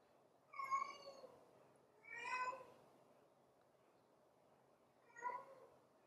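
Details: A stray female puppy that picked a golden retriever as her new mother gives three whining cries, the first two close together and the last after a pause of nearly three seconds, in a quiet indoor space.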